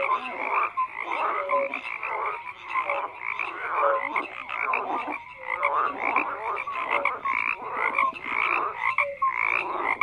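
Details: Overlapping frog croaks form a constant chorus, harsh pulsed calls layered with occasional short piping tones, rising and falling in loudness every second or so.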